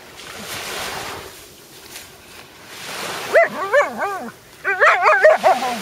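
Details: Alaskan Malamute finding a sea robin fish, giving a run of quick, wavering, yodel-like howling yelps, rising and falling in short bursts about three times a second after a stretch of rustling background noise.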